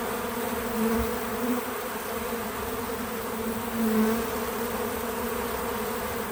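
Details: Several bees at a feeder outdoors on a small farm give a continuous low hum. Brief louder buzzes rise briefly around the first and fourth seconds as insects fly close, with no music or talking.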